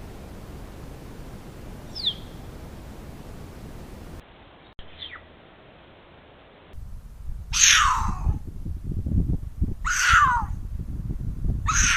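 Mountain lion giving thin, high, downward squeaks, then loud harsh screams sweeping down in pitch.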